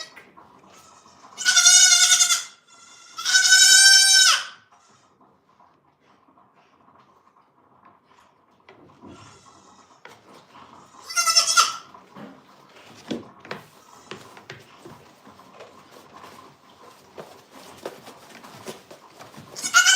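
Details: {'text': 'Goat on a farm bleating in two long, loud, wavering calls close together, then one shorter bleat about eight seconds later, over a steady electrical hum with faint clicks and knocks between calls.'}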